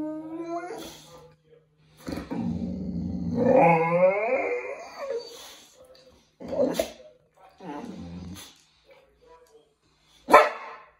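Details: Male Boxer dog at bath time, being washed and blow dried: a wavering whine that climbs in pitch, with a brief growly edge, broken by short bursts of sound and a sharp sound near the end.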